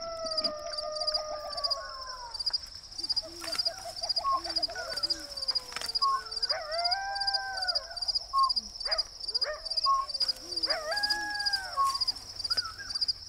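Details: Several coyotes howl together in the Sonoran Desert saguaro wilderness with long, wavering, sliding wails broken by sharp yips, over a steady cricket trill and a few low owl hoots.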